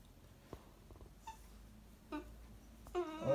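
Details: A Corgi puppy waking its owner in the morning gives short, high whines and yips, rising to a longer wavering cry at the end.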